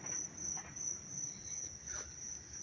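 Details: Crickets chirping loudly up close in Dobbs Ferry, New York, on August 19, 2025, in dry, warm, sunny weather: a thin, very high, steady-pitched chorus pulsing in rapid bursts without a break, with faint rustling underneath.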